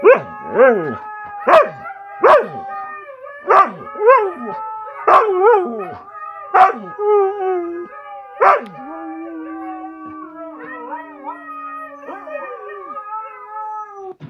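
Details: A Siberian Husky gives a run of about eight quick, sharply falling yelps and barks, then settles into long, level, sustained howls with small pitch wobbles that fade out.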